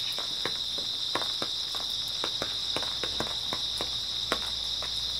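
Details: Grass insects chirp in a dense, steady high chorus on an early autumn night, overlaid by many quick crisp clicks and crackles.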